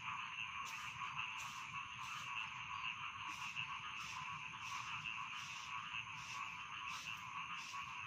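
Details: Rice field frogs calling at night as a bedtime sound: a dense, steady chorus of trilling, droning tones, with louder harsh croaks pulsing through roughly every second and no other clear sounds.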